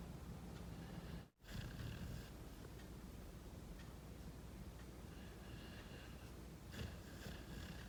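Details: Rescued pit bull puppy Angel snoring in a happy dream, with two rough, breathy snores about five seconds apart and a brief sharp dropout between them, against a constant low background drone.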